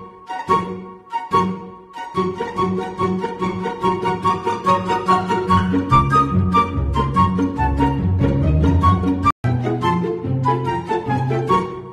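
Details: Orchestral string music with violin and cello plays throughout, with a brief silent gap near the end and no animal voices.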